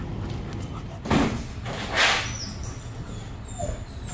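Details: Bailey, a young female German Shepherd with aggression issues, on day one of a two-week boarding training program; two sharp, noisy barks about a second apart over a steady low traffic-like rumble.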